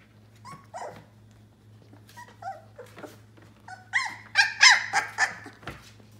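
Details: Yellow Labrador Retriever puppies, 18 days old, giving high whimpering squeals that come faster and louder toward the end. The short harmonic whines rise and fall over a steady low electrical hum indoors.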